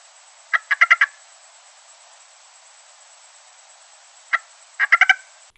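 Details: Plain stream frog giving quick bursts of four or five knocking, clicky pulses, repeated after a few seconds' pause; oddly crake-like, easily mistaken for a bird in a wetland, with no other sounds.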